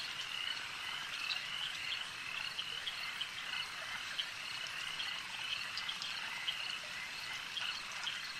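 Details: Lakeside frogs call together in a thick, even chorus, a high buzzing trill with scattered sharp clicking pulses and a few brief piping notes.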